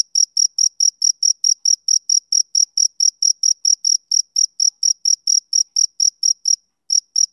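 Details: Male cricket on a summer evening: a steady run of about two dozen short, high, pure chirps, evenly spaced roughly three per second, with one brief pause near the end; no other sounds.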